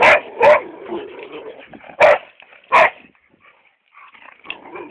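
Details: Chocolate brown Labrador Retriever named Hugo barking: four loud, sharp barks at irregular spacing, the last two about three quarters of a second apart, followed by softer whines and yips, with faint music in the background.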